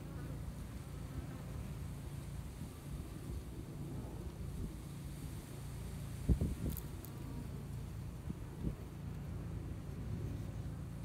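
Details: Honey bees in a two-year-old hive in Texas, seen through a glass top while working to build up the spring hive: a steady low droning hum from many bees, with a few brief knocks and clicks.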